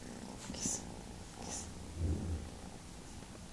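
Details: Young kitten named Saffron Milk Cap, a small, silly pet cat, purring indoors: a low, steady rumbling hum with pulsing swells, strongest around the middle, plus a few soft breathy rustles higher up.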